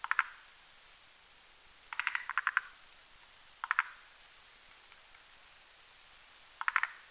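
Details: Forest green tree frogs spawning in a foam nest on a spindletree branch over a marshy pond in the mountains at night. Separate bursts of clucking pulses are spaced one to three seconds apart against a quiet background.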